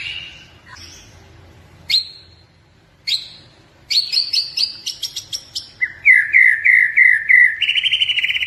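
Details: Pet blorok-type white-rumped shama in Indonesia in full song: isolated loud sharp whistles, an accelerating burst of crisp chips, then repeated rich slurred notes and a final fast trill.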